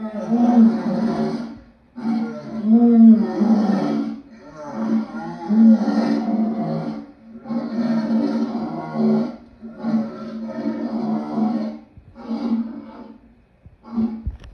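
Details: Long sequence of lion roars and grunting growls, about eight rough, deep bursts over fourteen seconds, rising and falling in loudness with short breaks between them.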